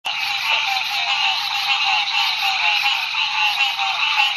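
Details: Dense frog chorus beside a road at night in Ouachita National Forest, where green tree frogs were calling: a continuous, overlapping wall of bright, nasal calls with no breaks.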